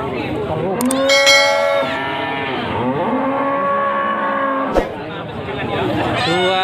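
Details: Moos from cattle at the Pasar Wage market, Panggul, Trenggalek, Indonesia: long, harmonic-rich calls that sag and swell, several overlapping, with a sharp clank near the end and busy human voices throughout.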